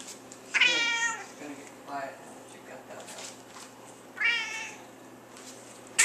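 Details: Female domestic cat making funny noises while being playfully nudged indoors: two drawn-out, harmonic, wavering meows about three seconds apart, with a person speaking softly between them and a short sharp noise at the end.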